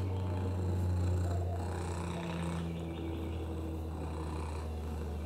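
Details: Purring from Oliver, a sweet rescued lap cat living with a broken hip, URIs and FIV: a deep, continuous, evenly pulsed rumble that dominates throughout, with low hum and little else.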